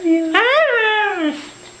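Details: Siberian Husky named Mishka, a female, vocalizing indoors in a small room: a drawn-out whining howl that rises, bends and falls over about a second, with a woman repeating "I love you" around it.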